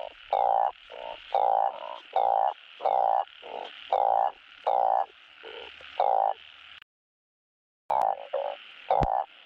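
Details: A balloon frog gives loud, short, nasal croaks in a steady series, calling for a mate; the breeding call is played on a frog farm to prompt breeding.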